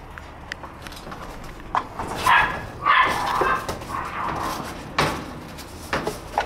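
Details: Shiba Inu puppies born in August and September playing outside on 28 January; short, sharp yelping barks come in a quick pair, then a longer one and a later single yelp over steady background hiss.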